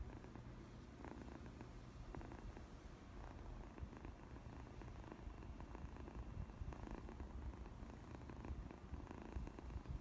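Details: First purr of a pet cat at home, a continuous deep vibrating rumble lasting the whole stretch, with faint rustles and light handling noise on top.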